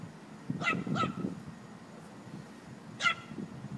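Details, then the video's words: A Chihuahua at play with a puppy: two quick high yips close together, a pause, then one more sharp yip, over low rustling and thumping from the romp. "Chihuahua playing with puppy"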